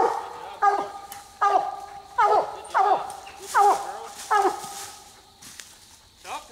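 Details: Night raccoon hunt with coonhounds on the second raccoon: strong, drawn-out bays with wavering pitch, repeated about every three-quarters of a second, then tailing off, with faint background noise.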